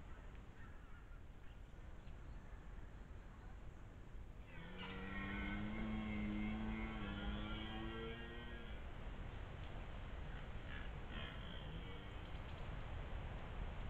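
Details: A red deer stag caught on a trail camera near the end of the rut gives a deep, harmonic roar lasting several seconds.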